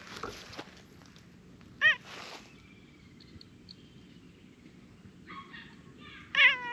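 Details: Short-tailed orange tabby cat coming close for affection, giving a brief sharp meow near two seconds and a louder wavering meow at the end, with quieter chirpy sounds and faint outdoor noise in between.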